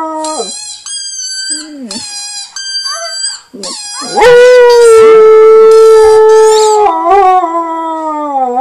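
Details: A husky howls: several short, high, wavering whines open, then a loud, sustained, steady howl holds for about four seconds and dips slightly in pitch at the end.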